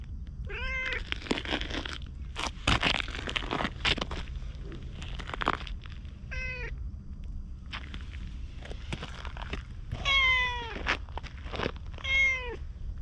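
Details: Ginger tabby community cat, briefly petted, follows as the person walks away, chattering in cat talk on a GoPro: four clear meows, each sliding up then down, one longer and drawn out, between crunchy footsteps and rustling.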